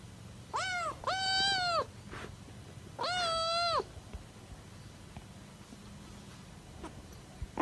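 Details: Pet cat uttering two flat, sustained meows, each under a second long and strongly harmonic, followed by quiet room background with a few faint knocks.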